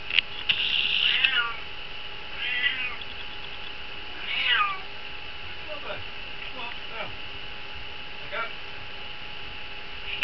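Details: House cat meowing while trying to get into a chameleon's vivarium: a series of short, wavering, strained meows spaced a few seconds apart, the first ones loudest, over a steady background hum.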